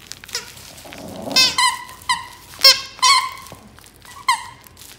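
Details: Talkative Maltese puppy named Jaerong makes short, nasal, harmonic yelps and squeaky vocal bursts, about six in five seconds, indoors with faint rustling.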